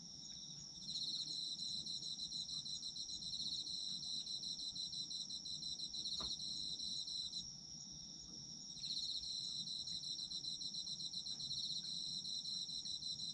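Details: Autumn insects calling in a dense chorus: a continuous high whine plus fast pulsing trills that stop for roughly a second and a half near the middle before starting again, with a faint click partway through.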